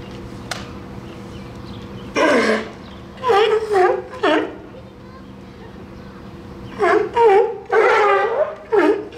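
A seal gives a series of harmonic, wailing calls that rise and fall, each lasting under a second.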